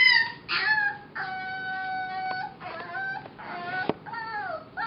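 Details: Young foster puppy Mo, now Molly, about six weeks old, singing in a run of sustained, steady howled notes mixed with shorter wavering yelps, one long flat tone holding for over a second.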